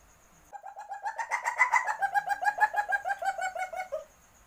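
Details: Mating call of a civet in heat: a burst of rapid, hoarse clucking notes, roughly five per second, rising in strength then tapering off near four seconds, with near silence before and after.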